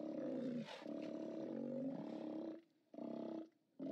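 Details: Steller sea lions at a haulout, recorded from a live cam on 29 October 2017: long loud harmonic roars, one held over two seconds, then shorter bursts broken by brief silences.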